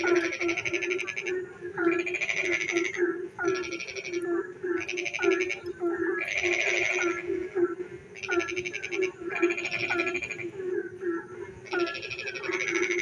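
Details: Frogs calling in the dark on a rainy night: overlapping chorus of pulsed, rattling bursts about a second long repeating every couple of seconds, over a steady low droning hum from other callers.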